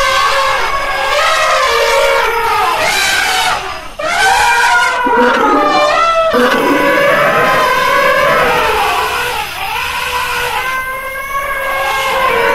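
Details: Elephant trumpeting in dense, overlapping blasts: loud brassy calls with rich stacked overtones, sliding and wavering, following one after another with barely a pause for over twelve seconds.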